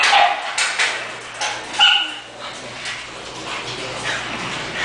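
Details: An English bulldog lets out a few sharp, high-pitched yelps and squeaky cries, bunched near the start and middle, then quieter rustling with a faint low hum.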